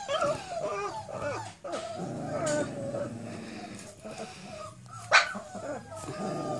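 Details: Cane Corso pups, four weeks old, outdoors for the first time: a busy mix of thin whimpers, low rough grumbling and scattered yips, with one sudden sharp yelp late on.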